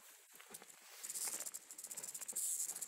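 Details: Western diamondback rattlesnake rattling on a trail in Sycamore Canyon, Arizona, after nearly being stepped on; a dry, high hissing buzz that starts in soft pulses and swells into a steadier, louder rattle.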